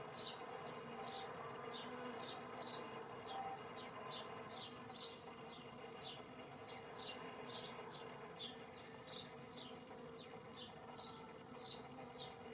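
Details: Bees in spring 2017: a steady low droning hum runs throughout, overlaid by high, short chirps repeated about twice per second.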